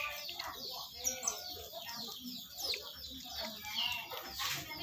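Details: Otter being fed, kept as a pet: a steady stream of high, squeaky chirps and short twittering notes, rapid and overlapping, rising and falling in quick bursts throughout.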